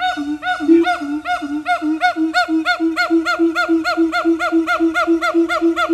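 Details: Siamang calling at Dubbo Zoo, Australia: a fast, steady train of harmonic honking hoots, roughly three to four per second, each bent slightly upward, evenly repeated throughout.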